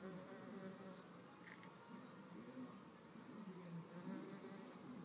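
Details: Solitary red mason bees struggling over a nest cavity, giving a low wavering buzz that bends upward in short surges, loudest toward the end of the brief scuffle.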